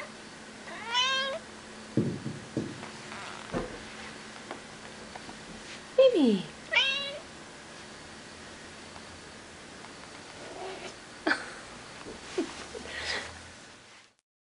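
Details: House cat meowing persistently with a request indoors; a few scattered meows, one sliding sharply downward, mixed with a person's voice, thumps and handling noises.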